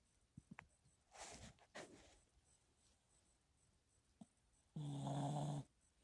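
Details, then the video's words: Chihuahua snoring indoors: soft breathy rustles early on, then one loud, low, droning snore near the end lasting under a second. "Snoring chihuahua"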